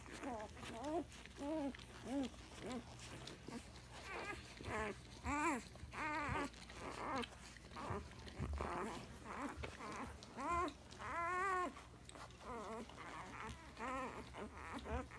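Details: One-day-old Alaskan Malamute puppies giving many high, thin squeaks and whines, each rising then falling, in quick uneven bursts, over a steady low hum.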